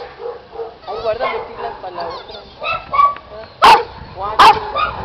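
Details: Eight-month-old Giant Schnauzer puppy making wavering, moaning and grumbling calls, with two sharp, loud clicks or knocks near the end.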